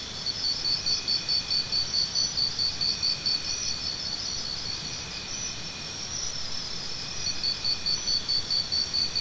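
A cricket gives steady, high, pulsing chirps in a fast, regular rhythm.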